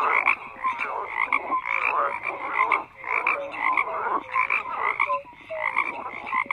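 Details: Croaking frogs in full chorus: rhythmic rasping bursts in groups, punctuated by short bright upward notes, the volume dropping briefly near the middle before the chorus swells again.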